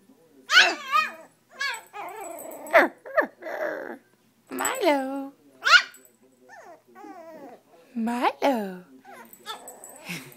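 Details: Indoors, the chiweenie Milo protests being left behind on the sofa with a mix of whiny, wavering yelps and high barks, some drawn out and falling in pitch, arriving in irregular bursts over ten seconds.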